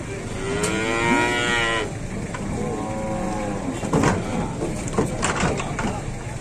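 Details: Giant cattle being unloaded, a long harmonic moo lasting nearly two seconds at the start, followed by a second shorter moo near three seconds, with clatter, knocks and background voices throughout.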